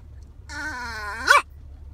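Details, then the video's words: Tiny female dog speaking her mind: a drawn-out whiny, talking-like tone that bends and rises, ending in a sharp sudden burst. "Tiny dog talks and sneezes cartoon style"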